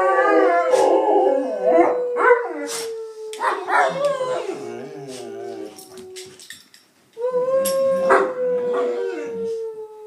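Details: Pair of domestic Bullmastiffs singing along to noises, drawn-out howls gliding slowly downward, interrupted by brief yips and whimpers, a short pause, then another long falling howl.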